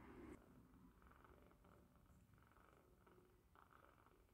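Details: British Shorthair kittens, five of them, feeding from their mother in 2021, purring: a very quiet, low, steady rumbling drone with fast pulsing throughout, plus faint handling rustle at the start.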